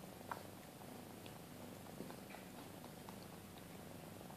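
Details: Two-month-old Maine Coon kittens with their mother at a cattery; a continuous soft purr drones throughout, with a sharp click near the start and another at two seconds.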